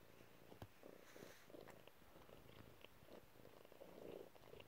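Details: Relaxed domestic cat purring indoors in a cluttered room: a steady, low rumbling purr with rhythmic pulses swelling on each breath, soft and continuous throughout.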